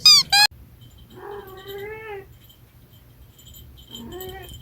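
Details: Munchkin cat giving a drawn-out, slightly rising meow lasting about a second, then a shorter second meow near the end; a brief loud high-pitched squeak opens the moment, with a low steady hum beneath.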